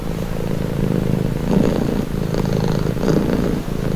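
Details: Pet cat purring up close: a low, continuous, fluttering rumble rising slightly on inhales and dipping on exhales across a few breaths.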